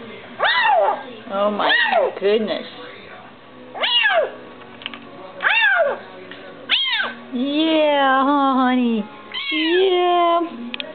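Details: Hungry Bengal kitten calling while eating: rapid loud meows, then a long wavering drawn-out moan of about two seconds, followed by more quick falling meows, with a low hum underneath.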